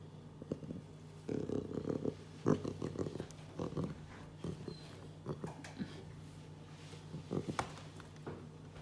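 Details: A leopard cub named Luna grumbles: a drawn-out low throaty growl followed by a string of short rough grunts and huffs, irregularly spaced, over a steady indoor background hum.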